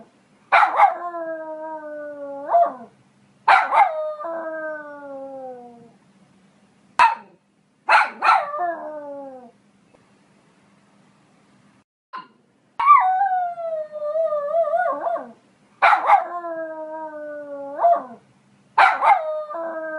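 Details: Poodle giving short bursts of sharp barks, each flowing into a long, smoothly falling howl-like whine, repeated in groups every few seconds with brief quiet gaps between.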